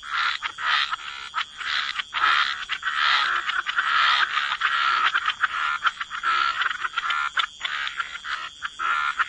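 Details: Frogs croaking by the waterside in a wetland chorus: dense, rasping croaks overlap almost without pause, with brief gaps, over a steady high insect-like hum.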